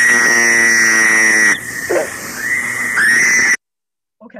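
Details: A Fowler's toad, presented among Rhode Island's amphibians, gives a harsh, abrasive, nasal, high-pitched buzzing wail, like a bleating cry, as if crying.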